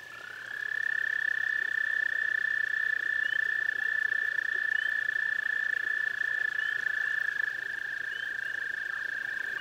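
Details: A toad at a garden pond starts a long, fast-pulsed, steady trill that carries on unbroken. A second, softer trill overlaps it toward the end.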